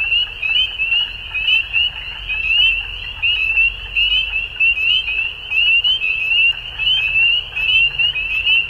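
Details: Frogs calling at dusk in a dense chorus of high, rapid trilled chirps that merge into a steady ringing band, swelling and fading in pulses about once a second, over a faint low rumble.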